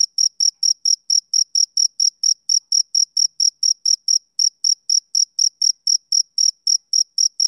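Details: Male cricket, summer evening, chirping without pause: bright, piercing pulses about four a second, almost metronomic, with a clean, silent background.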